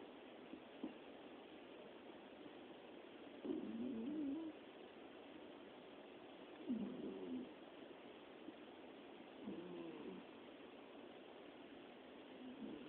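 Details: Domestic cat snoring while sleeping soundly, one of three cats dozing together; faint, low rasping breaths recur roughly every three seconds, each around a second long, against steady quiet hiss.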